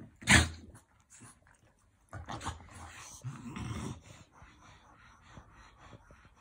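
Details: During affectionate play a French Bulldog lets out one sharp loud bark-like burst, then short rough growls around two to four seconds, followed by quieter snuffling.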